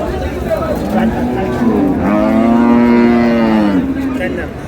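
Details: A loud, drawn-out moo from cattle at Ambari Haat market, Dinajpur, among improved-breed milk cows and calves, 7/6/26: one steady, deep call lasting about two seconds, rising slightly and fading, over a crowd murmur and men talking.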